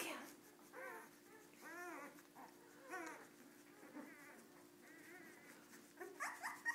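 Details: Misbehaving Cardigan Welsh Corgi puppies make several drawn-out, arching whines and howl-like cries about a second apart. Soft whimpers fall between them, and sharper squeals close the sequence.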